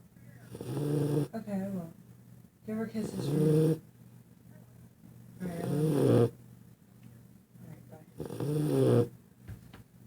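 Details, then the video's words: Sleeping dog snoring loudly; long rattling, throaty snores come about every two to three seconds in four bursts, each a rough buzzing drone with a low rumble, separated by quieter breaths. "epic snoring"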